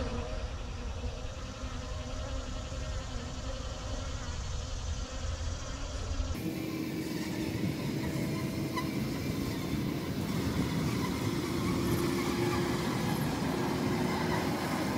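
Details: Many honey bees cleaning honey off wax cappings from a recent honey harvest, outdoors, footage condensed from three hours: a dense, continuous droning buzz over a low hum, shifting abruptly partway through to a louder, rougher texture.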